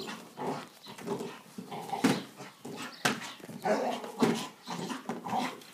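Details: An English Bull Terrier attacks and tries to eat a lawn mower, giving a run of rough, growly barks and yelps in quick uneven bursts.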